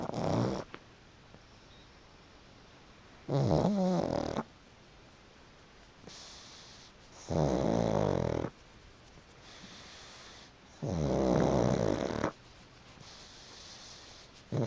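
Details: Chicchi the pug snores loudly while napping on a freshly dried, fluffy futon. Four long, rough, rumbling snores come about every three and a half seconds, with quiet breathing gaps between them.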